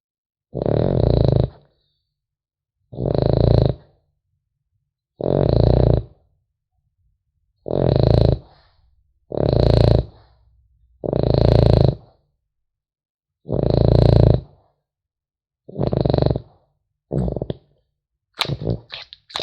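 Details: French Bulldog puppy asleep, snoring in deep, rasping bursts about every two seconds, each breath a rough, low rumble with a hissy upper edge; quiet pauses between breaths, a few scratchy rustles near the end.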